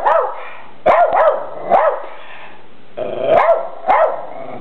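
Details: Rat Terriers Graci and Princess, unhappy with a new red deer buck, barking in clusters of sharp, harsh barks, five bursts spread over a few seconds.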